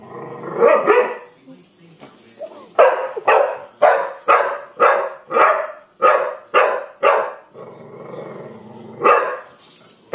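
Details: Young Pit Bull named Kenya barking at a wind-up bug, a quick regular string of loud barks about every half second, a short lull with rustling, then another bark.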